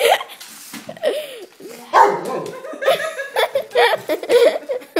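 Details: Greater Swiss Mountain Dog reacting to a remote control car seen as a threat to the home: rapid excited barks and yelping sounds in quick irregular succession, with other sounds mixed in.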